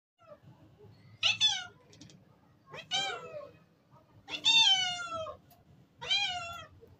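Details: A domestic cat meows four times over seven seconds, each call a harmonic, slightly falling or arched wail lasting about half a second to a second, the longest drawn out near the middle; faint low rumble underneath indoors.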